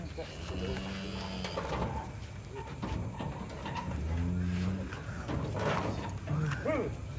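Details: Giant cattle, one of four being loaded onto a truck late into the night, give deep, drawn-out low moos, two long ones early and later, amid people talking and shouting, with faint engine and background hum.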